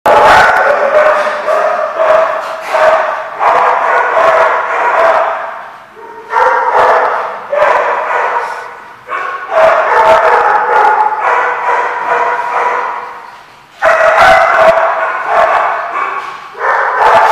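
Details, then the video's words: Dogs barking at The Barking Lot, recorded 27 April 2015: dense, overlapping barks from several animals in bursts of a few seconds, broken by short gaps, with loud sharp yips running through the whole stretch. "The Barking Lot"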